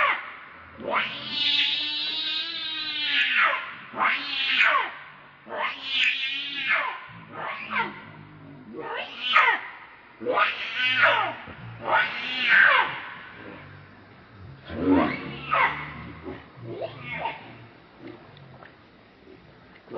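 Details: Baby monkey named Leo, called Rainbow, crying hungrily and begging its mother for milk: a run of loud, harsh, wavering screeches, each a second or so long, repeated in uneven bursts with short gaps between.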